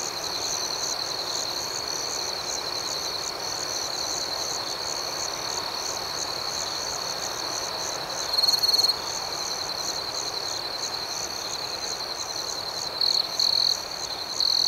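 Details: Outdoors at night, crickets produce an unbroken high ringing trill with rapid pulsed chirps layered above, the chorus steady throughout apart from a few sharper, louder bursts in the second half.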